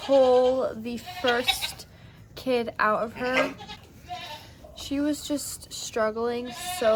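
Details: Maggie, a first-time Nigerian Dwarf doe giving birth to twins on a Northern California farm, bleats in clustered bursts: sustained tones followed by quick, wavering calls, with quiet gaps in the middle.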